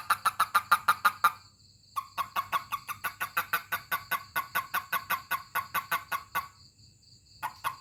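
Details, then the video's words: Toad calling when touched by hand: rapid series of short, sharp pulsed chirps, several bursts of about ten notes separated by brief pauses, with a steady faint background hum. "Funny Toad 🐸 Sound when I Touch it"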